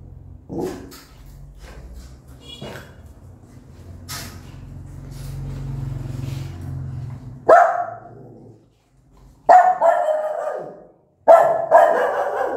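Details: Angry mother dog and her newborn puppies; faint sounds and a low rumble at first, then three loud, harsh barks near the end, the final two close together.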